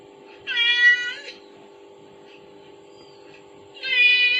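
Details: Kitten reacting to its mother's call played as a phone sound effect; two clear meows about three seconds apart, each strong and harmonic, with a steady hum between them.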